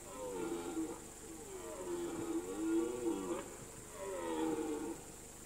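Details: Red deer on an alpine pasture in the mountains during the September–October rut, giving drawn-out, moaning roars that arch up and down, three long bellows over a few seconds, over a steady high hiss and faint background music.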